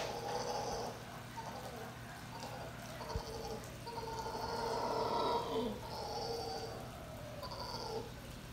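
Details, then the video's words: Loud howler monkeys in Costa Rica: droning, roaring howls rise and fade in overlapping waves about a second long, with brief gaps between them. "Howler Monkeys are loud!"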